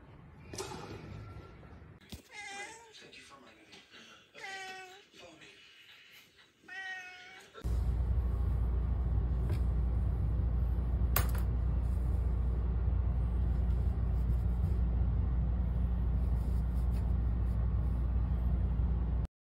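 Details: Domestic cat meowing indoors, with about four drawn-out, wavering meows rising and falling over the first half. Faint voices sit underneath. A loud, steady low rumbling noise then takes over to the end.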